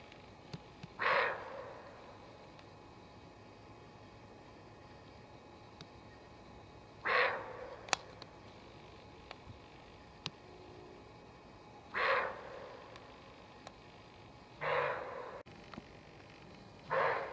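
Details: Female roe deer in a forest, nervous and warning of danger with repeated barks: five short, harsh, hoarse barks spaced roughly two to five seconds apart, each a brief broadband burst, with quiet woodland background between them.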